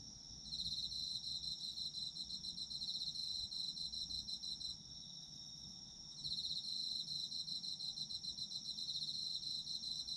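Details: Japanese autumn insects for sleep ASMR: a loud pulsed, rapid chirping trill runs over a constant high ringing tone, falls silent for about a second near the middle, then resumes.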